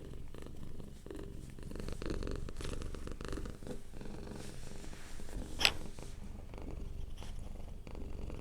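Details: Relaxed domestic cat purring softly, a gentle low rumble in regular pulses, with one sharp brief click or scrape near the middle, recorded close indoors.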